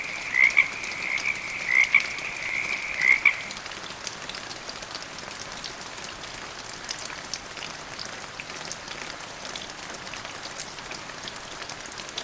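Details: Frog calling during medium rain: a high, steady croaking trill marked by brighter pulses about every second, lasting only the first three and a half seconds, after which just the patter of raindrops continues.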